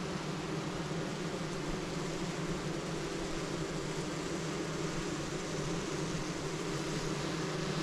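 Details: A spring queen-rearing box, queenless and packed with feisty nurse honey bees just opened by the beekeeper, gives off a steady, low droning hum that holds even throughout as they begin calming down.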